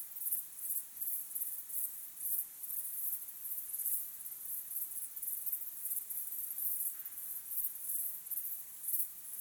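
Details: Evening chorus of crickets at sunset: a steady, very high trilling that swells and fades in quick pulses, dense and unbroken, over quiet background.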